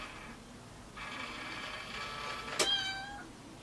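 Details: Pet cat letting out a long, drawn-out meow lasting about two seconds, steady and harmonic-rich, ending in a sharp click and a brief higher, falling tail.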